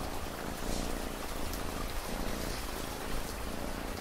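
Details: Steady low rumbling purr of a cat, pulsing in slow breaths under a constant hiss of rain with scattered drop taps.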